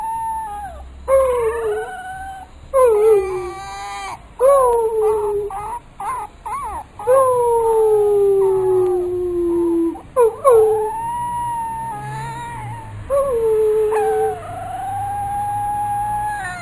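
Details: Pit bull puppy "talking" in training: a string of drawn-out, sliding howls and whines, some wavering, some falling in pitch, broken by short pauses, over a steady high-pitched hiss.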